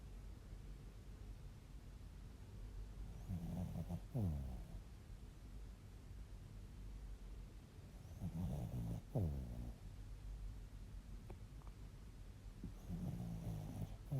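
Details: A sleeping Bichon Frise snores in low, rumbling breaths that come roughly every four to five seconds.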